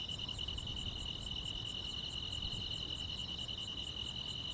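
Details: Summer-night grass insects: a continuous bright buzzing trill runs throughout while a higher, thin chirp pulses about every 0.7 seconds, six pulses in all, with faint low background hiss.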